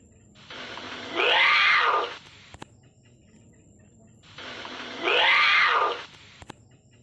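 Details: Lynx calling: two harsh, drawn-out yowls, each about a second long with an arching rise and fall in pitch, spaced roughly four seconds apart, with near silence between them.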